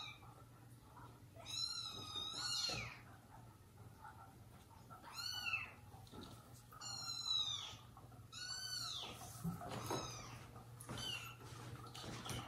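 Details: Mother cat Jaco's home with her kittens and abandoned foster kittens. Six piercing, arched meows, some paired closely and others spaced apart, sound against a steady low hum and faint knocks.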